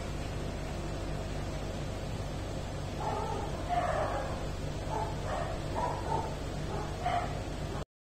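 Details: Jack Russell Terrier puppies offered for sale; several short high yips and whimpering cries come in quick bursts from about three seconds on, over a steady low hum.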